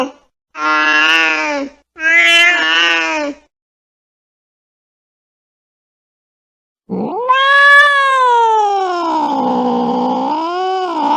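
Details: Angry cat giving drawn-out harmonic yowls: two steady wails in quick succession, a long silence, then a long rising-and-falling moan that dips and swells again.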